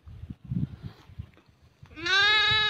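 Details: Young goat kid trapped in a crack in the ground, found during a hunt and being rescued; after two seconds of men talking, a loud, long wavering bleat with strong harmonics begins and holds to the end.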